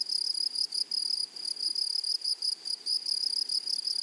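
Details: Grasshoppers in a blooming meadow sing in short, sharp bursts of high sizzling buzz, each bursting on and off several times a second.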